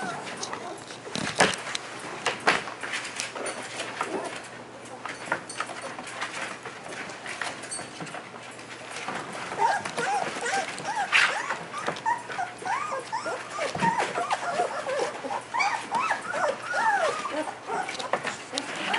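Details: A litter of German Shepherd puppies feeding and trying to walk; thin, arching whimpers and squeals cluster densely in the second half, over shuffling, clicking noise and occasional voices.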